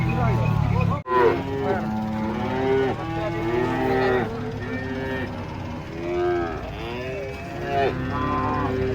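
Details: Giant cattle unloading from a truck, several animals mooing in overlapping, wavering lowing calls one after another, over a steady low engine rumble and a brief sharp knock near the start.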